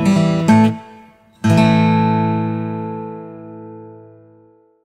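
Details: Plucked acoustic guitar chords ring out twice and slowly fade away, with no animal voice present.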